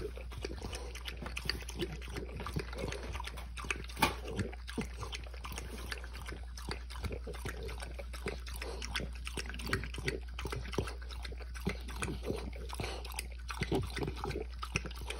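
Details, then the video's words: French Bulldog drinking water because it is thirsty: rapid, continuous wet lapping and slurping clicks for the whole stretch, one sharper splash near the middle, over a steady low background hum. "French bulldog drinking water"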